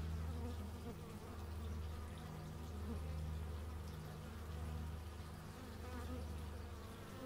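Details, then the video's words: Bees buzzing outdoors, recorded in stereo with an x/y microphone: a dense, steady low drone with a slowly swelling and fading loudness, and faint higher wavering hums as individual insects pass. "Bee movie but its just bees, and not the movie"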